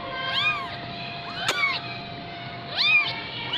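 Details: Persian kitten, 15 days old, in Gujranwala, giving thin high meows that arch up and fall, three calls with a gap between, over a steady electrical hum.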